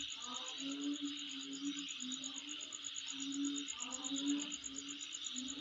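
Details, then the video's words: Insect sound captured at a residence, an even, high shrill buzzing with rapid metronomic pulses, over which low hooting tones and short chirpy bursts come in irregular clusters. "Sound Of Insect In My Place"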